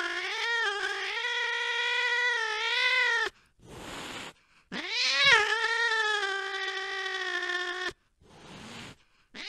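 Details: Cat chasing a mouse late at night: two long, drawn-out, wavering yowls of about three seconds each, rich in harmonics, separated by short bursts of rough, breathy noise, with another call starting at the end.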